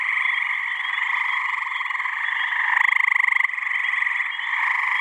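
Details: Gray tree frogs calling in a pond chorus in New Hampshire, mid-May, on a warm evening as males try to attract mates. Constant pulsed trilling, with one loud, nearby caller giving a short, strongly pulsed musical trill midway.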